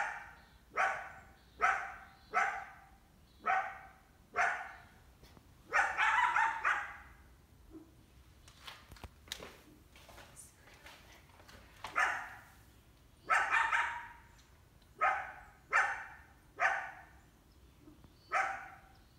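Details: Coyote in summer, a female with at least one big pup, trying to hunt a household indoor cat: repeated harsh barks roughly every second, some longer hoarse howl-like barks in the middle, a few sharp clicks between.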